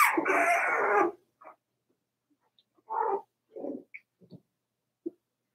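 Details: Indoors in their pen, a four-week-old Cavalier King Charles Spaniel puppy lets out one long, loud crying wail, followed by a handful of soft, short yips that fade into near silence.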